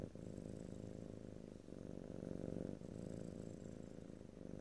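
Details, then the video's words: Steady close purring of a pet cat, low throbbing rumble that swells slightly in phases of one to two seconds, with faint high-pitched hiss in the background, stereo recording without speech. "ASMR Cat: Purring #5"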